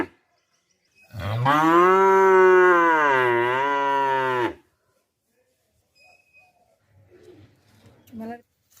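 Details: Single long calf moo lasting about three seconds, steady and strongly harmonic with a slight dip in pitch midway, followed by faint shuffling noises.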